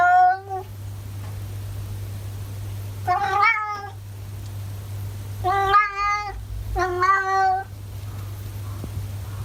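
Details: Masaru, an orange tabby pet cat in Japan, makes talkative sounds: one short meow, then three rich harmonic meows later on, some rising and then falling, over a constant low hum.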